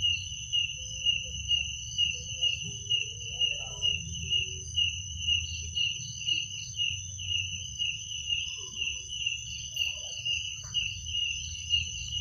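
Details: Night chorus of crickets: continuous shrill ringing chirps, pulsed roughly twice a second, over a faint low-frequency hum, with a few soft scattered background sounds.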